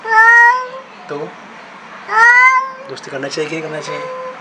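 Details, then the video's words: Extremely angry black cat meeting a new cat for the first time, giving two long, drawn-out harmonic yowls that rise and then fall, followed by lower, broken wavering cries indoors. "Cat angry sound"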